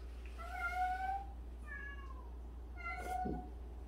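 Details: Cat meowing in a household of 76 cats, including one that washes the other cats' faces every day. Three clear, drawn-out, tonal meows, the first longest and slightly rising, separated by short pauses over a steady low hum.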